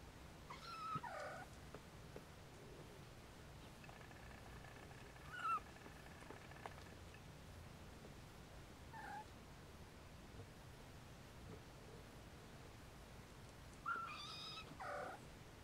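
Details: Siamese Snowshoe kittens nursing give four high, wavering mews spread across roughly fifteen seconds, at about one, five, nine and fourteen seconds, over a steady low background rumble.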